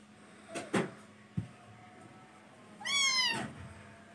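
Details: Kitten's single high, bright meow that rises and then falls, preceded by a few dull knocks and thumps in a small room.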